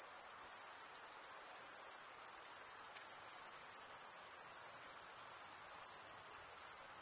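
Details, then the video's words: Crickets chirping, the sound made by males rubbing one wing's toothed vein against the other: a steady, shrill high trill with fine rapid pulsing, unbroken across the whole stretch, with a faint hiss beneath and no other sounds. "Most relaxing cricket sound for 8 hours"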